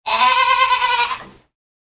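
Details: Goat on a farm bleating: one sustained, wavering bleat of about 1.3 seconds with a rich harmonic stack and a slight tremolo, ending abruptly, with no other sounds.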